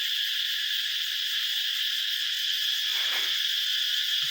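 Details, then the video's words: Cicadas crying in forest at dawn, about 5 a.m. before sunrise, as the New Year approaches; a dense, unbroken high shrill drone holds steady throughout, with a brief soft low rustle near the middle. "ស្ដាប់សម្លេងរៃយំពេលព្រឹក រៃយំព្រោះជិតចូលឆ្នាំ"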